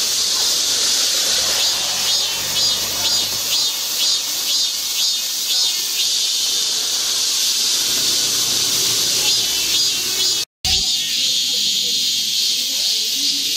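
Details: Cicadas singing in midsummer in Guro-gu, Seoul, around Ogeum Children's Park and Mugunghwa Park: a dense, hissing high-pitched drone that pulses about twice a second early on, then runs steadily, with one brief break near the end.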